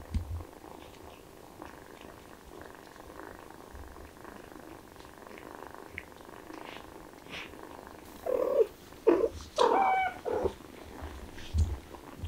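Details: Kittens excited by the smell of chicken stay mostly quiet for eight seconds amid soft rustles, then break into a burst of several strained, harmonic meows before falling quiet.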